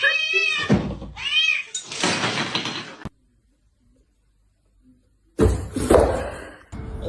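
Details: Kitten meowing indoors: two short, rising-falling meows within the first two seconds, then a scraping noise, a thump and near silence before a burst of rustling and a voice.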